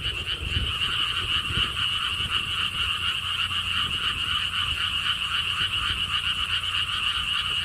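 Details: Many frogs croaking together at the Siheung lotus theme park, Korea, near a stone wall path: a loud, even, fast-pulsed trilling chorus that never pauses, with a soft wind murmur in the background.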